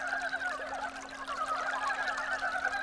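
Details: Brown frogs just woken from hibernation under stream stones in early spring, with snow not yet melted, males seeking females to mate; a dense, continuous chorus of rapid clucking, pulsed croaks overlapping from many frogs.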